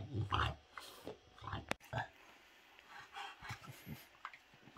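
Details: Bob the French Bulldog plays with a toy dinosaur hand puppet, giving pig-like snuffling grunts and snorts in short bursts, with one sharp sneeze-like burst near the middle and quiet gaps between.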